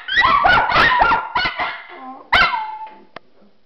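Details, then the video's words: Home recording of Miniature Schnauzers Khloe, Ruby and Spencer, who howl daily; a few short yipping howls and barks, then a lone falling howl note fading into quiet. "Miniature Schnauzers Howling!"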